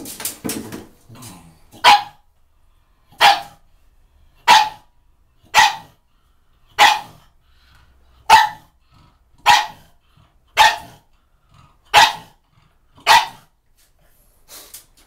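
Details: Pug barking while attacking shampoo bottles indoors: loud, sharp barks repeated roughly once a second, each bright and short with a strong middle tone, preceded by some scuffling at the start.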